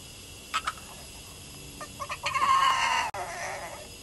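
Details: A female Boston terrier crying at her owner while giving sass; a few soft clicks, then a single drawn-out, slightly wavering whine of about a second that fades at the end.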